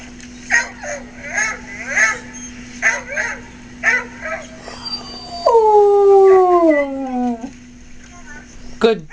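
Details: Simba, a pet dog, howls on hearing two dogs stranded in a canoe cry out in distress, sending out a call that someone needs help. A person talks over the first half. Then comes one smooth, falling howl of about two seconds over a steady low hum.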